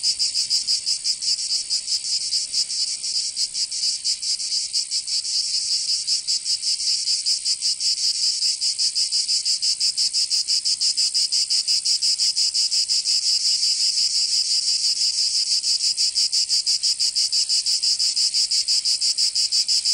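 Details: Cicadas singing in summer in Provence, southern France: a loud, dense, high-pitched buzzing chorus, steady throughout, with rapid rhythmic pulsing running through it and no other sounds.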